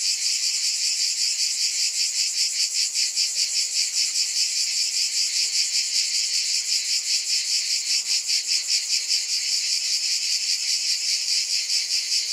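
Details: Cicadas in a high, electric-sounding buzz that pulses steadily about two and a half times a second, an unbroken insect drone from start to finish.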